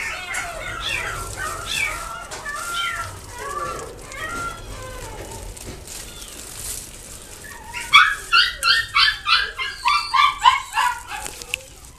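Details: Shih Tzu whining with thin, sliding whimpers and yips for several seconds, then breaking into a rapid burst of loud, sharp barks, about three a second, before trailing off.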